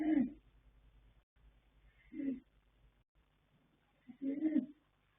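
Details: Sleeping colt foal Yanta, born 21 January 2026, by Fast Force out of Pink Blossom, snoring: three low, hoarse rumbling snores about two seconds apart, each a short throaty burst, in a quiet indoor setting.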